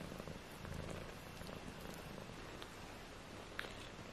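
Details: Tiny 18-day-old British Shorthair kittens, four in the litter, give a quiet continuous purr, a low throbbing hum with a couple of small clicks near the end.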